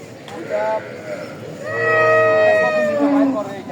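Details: Dairy cow bought by a farmer at Raniganj livestock market, Ghoraghat upazila, Bangladesh: a short nasal call, then a loud drawn-out harmonic moo that rises and holds for about two seconds, with human voices around.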